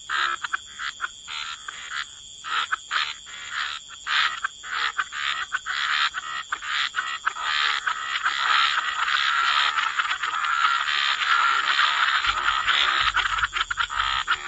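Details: Frog chorus by the waterside in wetlands, many overlapping raspy croaks repeated rapidly with a steady high insect-like whine running underneath throughout.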